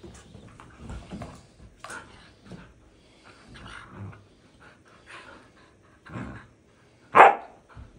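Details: Play between two dog brothers, Bombón and the puppy Balto, chasing each other indoors as the puppy bites Bombón's tail; scattered soft scuffles and grunts, then one sharp loud bark-like yelp near the end.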